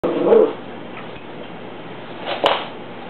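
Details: Rusty, a Cocker Spaniel puppy, objecting to a broom during housework: two short, gruff barks, one near the start and another about two seconds later, with quiet room hum between them.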